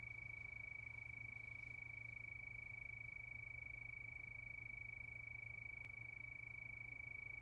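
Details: Crickets at night sustaining a continuous thin, high trill at a fixed pitch, even and unchanging, above a quiet low-frequency drone.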